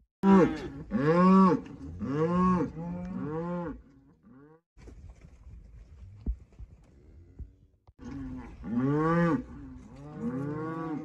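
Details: Loud, close cow mooing: a burst of rich, bellowing calls in quick succession, about one per second, then a quieter stretch of low rumbling before another strong pair of moos.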